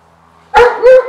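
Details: A Miniature Pinscher named Dorothy gives two quick, high-pitched yappy barks.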